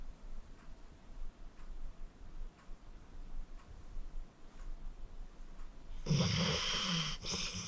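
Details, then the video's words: Acorn, a senior pit bull rescued at 14, asleep: quiet regular breathing with faint ticks for six seconds, then a sudden loud raspy snore near the end. "Acorn Sleeping - Relax with a Snoring Senior Dog"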